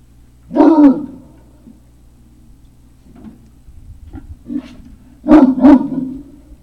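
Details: Loud, full-bodied barks from Great Dane puppies at Puppy Hill, 3 May 2019, late afternoon. There are two harsh doubled barks about four seconds apart, with faint small yips and shuffling between them over a steady low hum.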